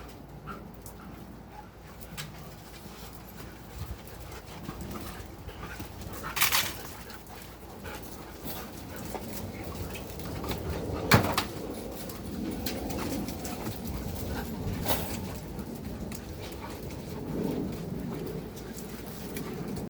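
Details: Three playing dogs breathe in soft, uneven pants with low scuffling and a few faint whimpers, while sharp clatters break through the steady rustle of their movement.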